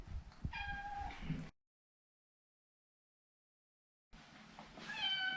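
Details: Maro, a neutered male Maine Coon, utters short meows, one dipping slightly in pitch, then a brighter rising meow after a pause, over low rustling household background noise.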